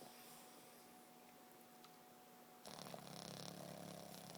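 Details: A Boston Terrier sleeping hard and dreaming snores with a breathy, rumbling rasp that starts after a near-silent indoor hum.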